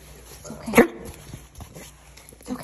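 A Frenchton dog gives a single harsh, honking cough typical of kennel cough while a person speaks softly.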